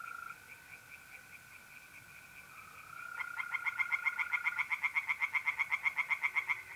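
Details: Tree frog at a pond by night in mid-April, north-eastern Italy: after a quiet chorus and a steady mole cricket trill, a close frog bursts into fast, regular, rasping pulses, about four per second, for several seconds.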